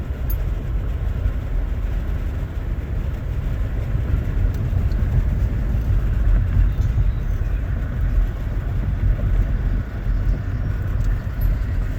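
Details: Heavy low rumble of passing traffic or a train dominates throughout, with no barking or other animal sound.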